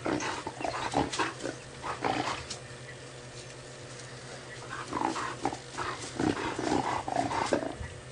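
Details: African wild dogs (Lycaon pictus) give short, squeaky, bird-like twittering calls in scattered bursts over a steady vehicle engine hum on a sunset game drive at Djuma, Sabi Sand, South Africa, 30 Nov 2017, around 4:45 PM.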